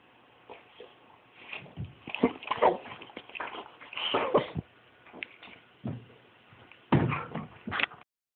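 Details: Brutus the boxer dog chases a laser pointer in a small room, giving a run of short whimpers and yips, uneven and clustered, with louder bursts near the middle and end and soft thumps of movement.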